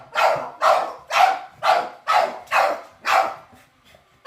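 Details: Pet dogs meeting a robot vacuum for the first time bark in a steady run, about seven loud, harsh barks in four seconds, each a broad burst, ending with a short pause and one more bark starting.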